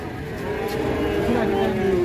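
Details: Low, drawn-out moo from a female cow on a rampage that frightens villagers, a steady harmonic tone rising in loudness toward the end, with people talking faintly nearby.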